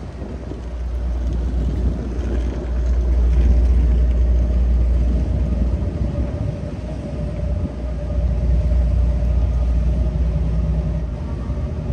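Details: Heavy, steady low rumble of vehicles and city traffic swells and fades throughout, with a faint hum and no animal sounds.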